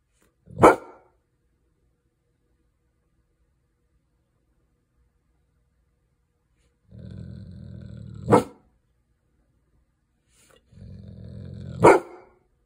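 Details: Coopur, a male Golden Retriever, stares outside and gives single sharp barks, the last two preceded by a low rumbling growl.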